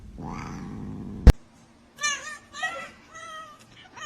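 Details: Kitten meowing several times in a row, short wavering mews spaced about half a second apart, after a low hum and a sharp click.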